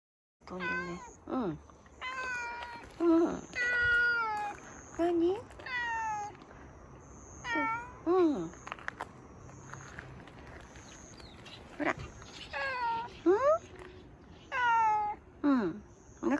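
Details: Stray cat living in a car park in Japan, approaching a person at their first meeting before being fed a lickable treat; repeated loud drawn-out meows, some rising then falling, some short and clipped, with a woman speaking softly between calls.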